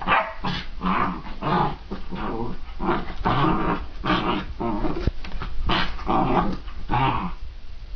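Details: Young puppy, excited, giving repeated rough barks mixed with growls, a steady run of short harsh bursts roughly every half second over several seconds.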